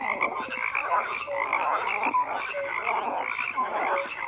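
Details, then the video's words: Continuous chorus of croaking frogs, a dense rasping mix studded with occasional short tonal notes, no other animals or noise evident. "FROGS CROAKING"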